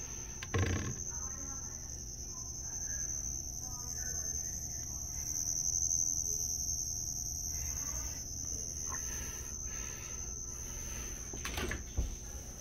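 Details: Cricket making noise: a continuous high, thin, unbroken trill held steadily throughout, with faint low rumbles and a couple of brief knocks in the background.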